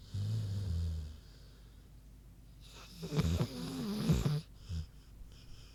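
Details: Sleeping pig Queenie with a brief low snore at the start, then after a pause a louder, rougher snorting breath with a wavering rattle, ending in a soft puff.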